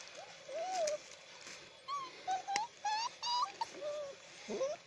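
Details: Alaskan Malamute puppies recorded on 9 February 2017, giving short high whines and squeaks, several rising or arched, in quick bursts about every half second over a steady background hiss.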